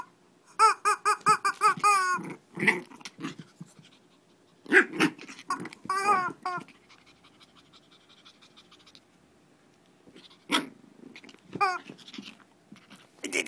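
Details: Shih Tzu squabbling in a mini fight in Kochi, Japan: a burst of quick repeated high yelps, then scattered squeals, low growly grumbles and breathy snorts separated by quiet gaps, with a few final sharp cries.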